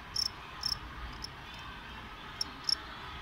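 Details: Cricket chirping: brief, pure, high-pitched ticks, mostly in pairs, about four or five chirps spread over three seconds, each a fraction of a second long, over a steady low background hiss.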